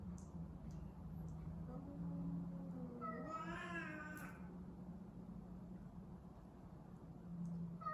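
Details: A domestic cat in the middle of a cat fight gives a single wavering meow, rising then falling in pitch over roughly two seconds, with a constant low background drone.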